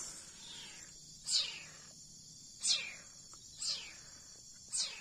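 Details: Young leopard cat kitten being hand-fed formula milk, giving sharp high squeaky cries that slide steeply downward, four of them spaced about a second apart, over a quiet background hiss.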